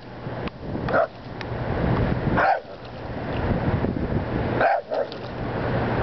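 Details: A Boston Terrier barks at geese, giving a few short, sharp barks spaced a second or two apart against steady wind.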